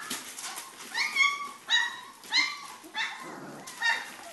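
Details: Three-and-a-half-week-old Pyrenean Mastiff puppies give sharp, piercing squealing whines with bright overtones, roughly one every half second to second, with quieter whimpers and soft yelps in between.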